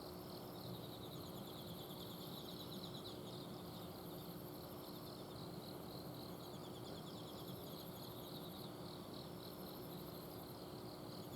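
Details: Night chorus of autumn insects from a garden in Azumino: overlapping high trills that swell and fade in bursts every few seconds, with an air-conditioner outdoor unit humming steadily underneath.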